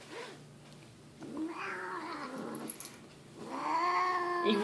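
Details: Grumpy house cat being held, giving low, wavering moans between a person's talk and faint music, ending in a louder, rising harmonic wail.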